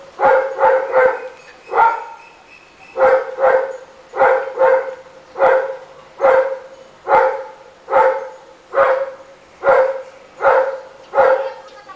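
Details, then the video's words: Rottweiler barking all day long in a neighborhood: strong, deep barks repeat steadily about once a second, about fourteen in a row with one short pause near the start. "The sound of this Rottweiler can be heard all day long!"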